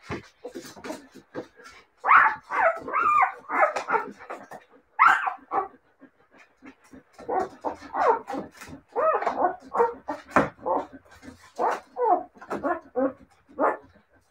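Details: Siberian Husky puppies yapping and whining in a noisy chorus, with high squeaky yips and short barks tumbling over one another in repeated clusters.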